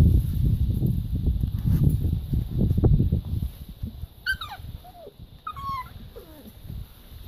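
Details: Labrador retriever puppies playing in a garden: after several seconds of low rumbling and scuffling, three or four high, thin whines slide steeply downward in pitch, each under a second long.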